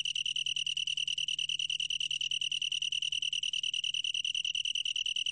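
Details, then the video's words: Long-tailed tree cricket producing an unbroken, ringing trill, a fast pulsed chirring at a single high pitch. Pulses come evenly, about two or three per second in loudness swells, over a faint low background hum. "긴꼬리, 여러번 듣기, 곤충소리"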